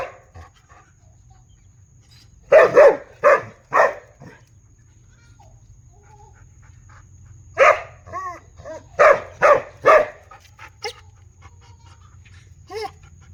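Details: Loud barking from a big dog in two bursts of rapid, heavy barks separated by a quiet gap, mixed with a few short whining, whimper-like notes and a faint constant high tone.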